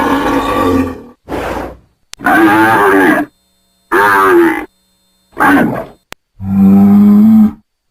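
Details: Angry bull bellowing in a pasture: several loud, drawn-out, tonal calls with rough edges, some wavering in pitch, the last one a steady, deep, sustained moo.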